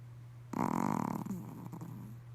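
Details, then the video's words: Pomeranian named Lillie snoring during a midday nap: a low, rough, pulsing rasp rising suddenly, holding about half a second, then fading into softer breathy snuffles, with a steady low hum underneath. "Snoring Pomeranian"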